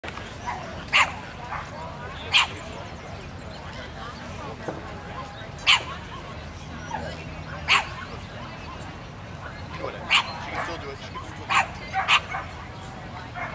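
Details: Female Scottish Terrier at a Lake Matthews Kennel Club dog show, judged Winners Bitch; short sharp barks at irregular intervals of one to three seconds over a steady murmur of background noise.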